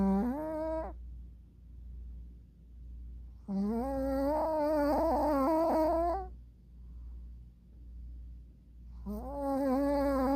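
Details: Snoring dog asleep with its eyes open, indoors: three bursts of nasal, harmonic, wavering snores, one short, one long and drawn-out, one rising at the end, separated by quiet pauses with a low steady hum beneath.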